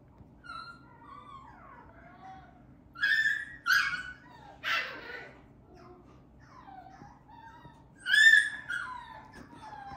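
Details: Teacup toy poodle puppy, deep red coat, weighing 470 g on January 11, indoors; thin high whimpers and sliding whines, with a few sharper yips near three, four and eight seconds.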